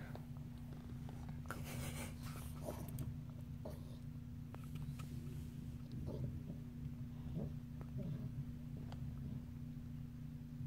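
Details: Pet cat Sunny purring her heart out inside a new cat house; steady deep rumble with faint rhythmic pulsing, a brief rustle near the start and small clicks.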